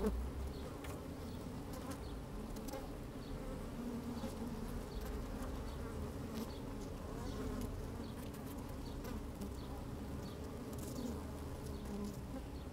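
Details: Steady, even drone of honey bees working inside an open hive, recorded with the microphone lowered among the comb on a fine sunny day; low layered humming with faint clicks and scratchy movement throughout.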